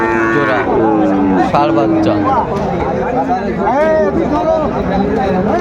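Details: Bulls for sale at a busy Cumilla cattle market in Bangladesh, 14 September 2024. Short bent moos and a couple of longer level lows overlap amid steady market chatter and men haggling over prices.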